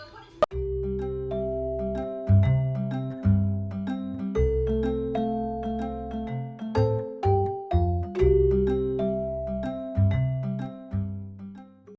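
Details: A gentle mallet-percussion melody, like vibraphone or marimba, plays over a steady bass line with no animal sound.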